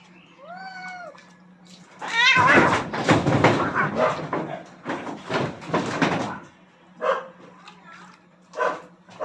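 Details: Two aggressive cats fighting for dominance across a rooftop: a brief arched yowl, then a loud noisy burst of hissing and scuffling for several seconds, ending in short scattered cries.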